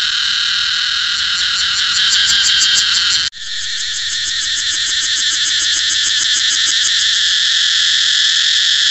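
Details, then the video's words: Cicada song, a loud continuous buzzing drone concentrated in high pitches, with fine rapid pulsing; a brief cut near three seconds, then the steady whine resumes with faint regular ticking pulses. "cicada เสียงจั๊กจั่น"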